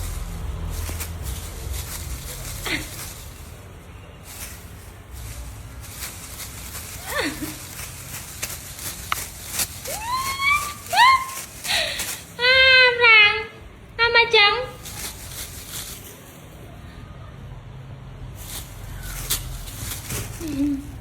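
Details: Charlie, a pet cat, gives a burst of several short, harmonic-rich meows in quick succession. A woman talks in Khmer around them, with scattered handling and tapping noises.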